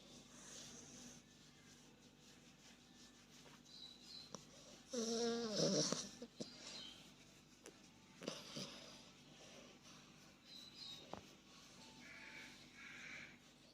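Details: Sleeping Australian Bulldog puppy snoring indoors, with soft rasping breaths and one loud, throaty, buzzing snore near the middle, then quieter snuffles and wheezes.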